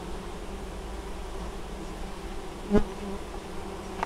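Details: Honey bees hard at work carrying honeydew at an apiary in Moszczanka, southern Poland, 19 August 2013; a steady deep hum of the colony, one bee passing close with a louder brief buzz.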